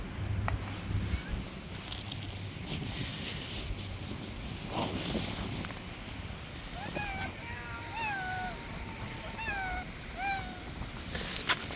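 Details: Street cats crowd close around; a run of short meows, each bending up then down in pitch, comes between seven and ten seconds over a steady rushing background like distant traffic.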